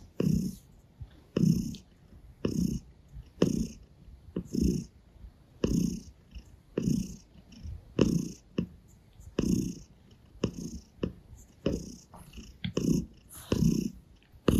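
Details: Gray Russian Blue cat purring steadily while licking a hand and kneading a person's stomach; deep rhythmic rumbles swell and fade in regular breaths, roughly one per second, with faint rustling.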